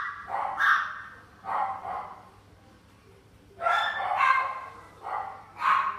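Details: Shiba Inu in a pet shop; loud harsh barks in short bursts, a pair near the start, then a strong volley after a pause, with another bark closing.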